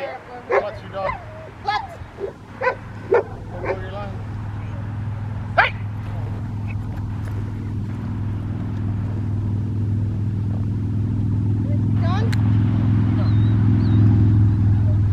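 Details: Rottweiler in schutzhund protection training, giving about six short, sharp barks in the first few seconds, one more after a pause, then a rising rumble of background noise with no further barking.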